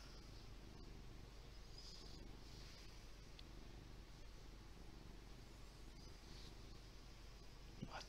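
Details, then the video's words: Lee, a big fluffy pet cat, purring, recorded on a Windows Phone 8X; a steady low rumble with even pulsing continues throughout, with faint higher hiss and soft rustling noises above it. "Purring kitty named Lee!"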